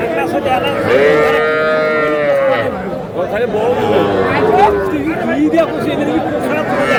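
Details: Young bulls and heifer calves at a livestock market, 17 February, a Madaripur farmer buying; one sustained, slightly falling moo lasting over a second, followed by shorter bellows mixed into crowd chatter and men talking.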